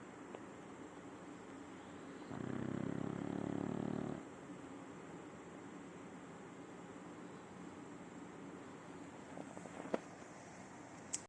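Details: A single deep, buzzing snore of about two seconds from Simão, a nine-year-old adopted French Bulldog asleep, followed by quiet breathing and a few sharp faint clicks near the end.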